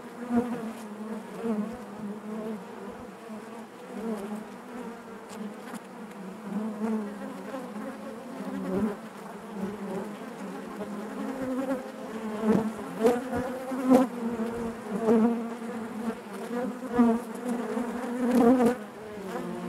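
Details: Inside a honey bee hive, a continuous low buzzing hum layered with higher harmonic tones, its loudness rising and falling unevenly, with occasional short taps and clicks near the end.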